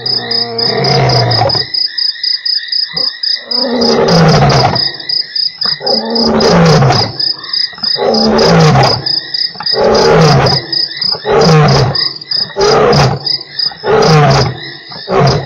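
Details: Lion roaring at Nkorho on 3 March, part of a sequence of eight roars within one hour: a run of deep, grunting pulses about one per second, fading gradually, over a steady chorus of high-pitched insects and frogs.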